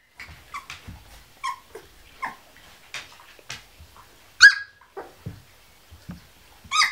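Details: Kuvasz puppies sixteen days old, producing a steady string of thin, high whimpers and squeaks, some rising and some falling, roughly twice a second, with one sharper squeal midway and soft low bumps below.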